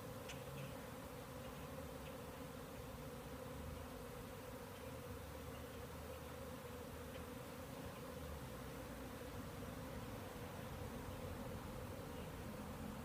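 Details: A large number of bees in the air around a beekeeper's hives, probably from more than one hive and maybe taking orientation flights, calming about twenty minutes later. A continuous, even drone lasts the whole time with light background hiss.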